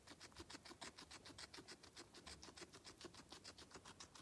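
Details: Guinea pig eating, heard very close: rapid, evenly paced crunching bites, roughly three to four per second, each a bright, dry click, continuing without pause.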